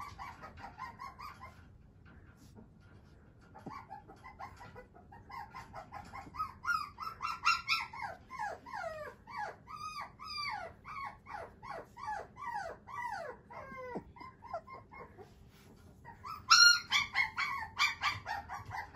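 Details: Whimpering from a male Shiba Inu pup whose father holds a JKC championship: a long series of short, bent, high-pitched whines, quiet at first, then louder and rapid mid-clip, fading, with a sharp yelp burst near the end.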